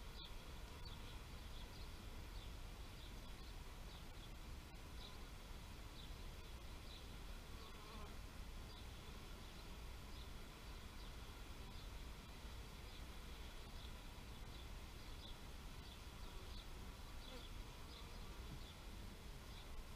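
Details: Bee buzzing as an unbroken low drone lasting the full twenty seconds, with light high chirps repeating at a loose, fairly regular pace in the background.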